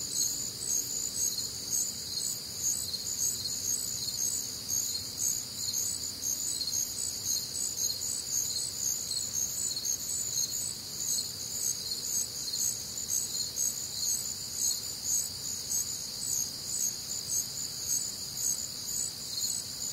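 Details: On a warm, humid Midwestern summer night, crickets keep up a steady wall of high pulsed chirping, several callers overlapping in rhythmic bands, background otherwise quiet.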